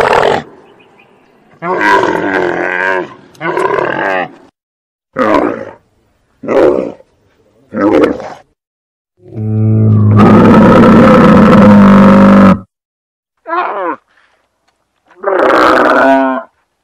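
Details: Camel giving loud, harsh, throaty roars and grumbles in short bursts broken by silences, with one long drawn-out bellow in the middle and a final gurgling moan.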